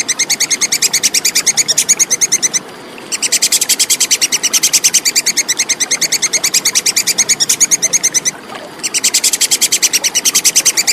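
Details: Rapid, sharp chatter of a plantain squirrel, locally tupai kekes, in a clear tutor recording for competition birds: three bouts of fast repeated high chips, about eight per second, separated by short silent gaps.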